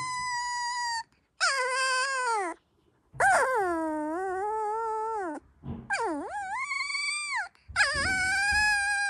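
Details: Sleeping female Dalmatian puppy dreaming: five drawn-out, wavering whines about a second long each, separated by short pauses, some sliding upward then dipping, others falling away at the end, in a quiet room.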